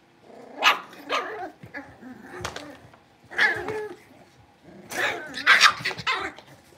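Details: Blenheim Cavalier King Charles Spaniel puppies, five littermates born over New Year and now in a big pen, give repeated sharp, high-pitched barks in uneven bursts, with a soft growly rumble between them.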